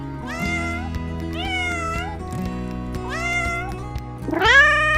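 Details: Domestic cat giving a few nasal meows that rise and then fall, spaced about a second apart, ending with a louder, strained meow, all over steady background music.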